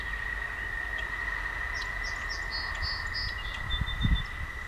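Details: Toads sing at night along a walking path, a steady, high, unbroken trill with a few faint chirps above.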